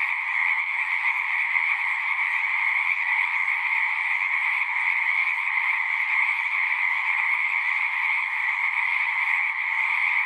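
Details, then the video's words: At a pond in a horse pasture, recorded using a Zoom 6, numerous frogs keep up a steady massed trilling chorus, even in level, with no breaks and no other noises. "Frogs singing"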